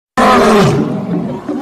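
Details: Lion in a fight with another gives a harsh, broad roar that starts abruptly, then grinds down into a rough growl; Lion.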